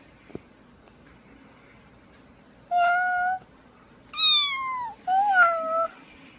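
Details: Domestic cat from a funny cats and babies compilation, giving three clear harmonic meows, the first level, the second starting high and sliding down, the third wavering and falling, with a faint click and quiet indoor background.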